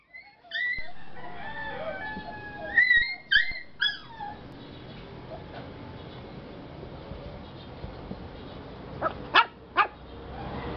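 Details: A 4-month-old male Lhasa Apso puppy in the Batangas area gives high, thin whimpers that waver and slide, then a couple of sharp yips.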